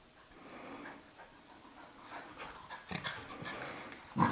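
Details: Labrador Retriever puppy in wild rough play with her mother, with soft panting, scuffling and brief huffs, ending in a sharp louder yip or thump.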